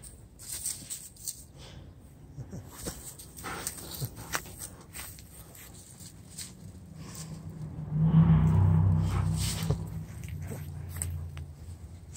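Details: Giant Schnauzers frightened by a cat give a low, rumbling growl-like sound lasting about three seconds midway through, among scattered tapping and clicking noises.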